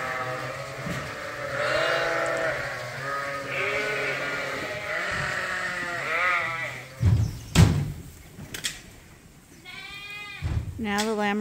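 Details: Lambs at a farm where some are bottle-fed twice a day bleat in a steady overlapping chorus of wavering cries, then a few sharp thumps and louder single bleats stand out near the end.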